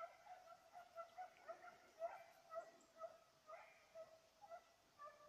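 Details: Hunting bay of a Petit Basset Griffon Vendéen pursuing a rabbit, 05/10/2014: clear, evenly repeated yelping cries, each sharp and tonal, following one another in a fast, rhythmic run.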